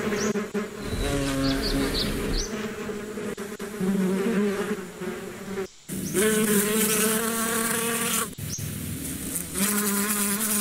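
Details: A dense, rich drone of buzzing bees that swells and fades in loudness, with one short silent break and scattered faint high chirps.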